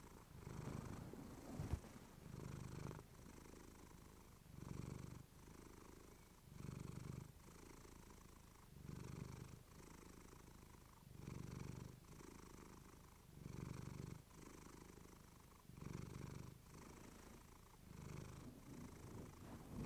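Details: Clementine the pet cat purring into a fluffy microphone: deep rumbling purr rising and falling in long phrases about every two seconds, each breath in and out heard as a separate swell.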